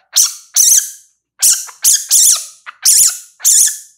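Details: Baby civet giving loud, high squeaky calls with wavering, warbling pitch, seven short bursts in four seconds separated by brief silences; no other sounds.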